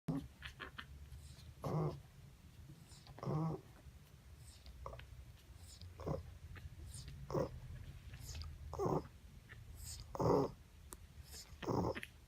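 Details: Ruby, a Boston Terrier mother, snoring indoors on 30 December 2017 among her puppies: rough, breathy snores recurring roughly every one and a half seconds, alternating louder and softer, with faint soft rustling between breaths.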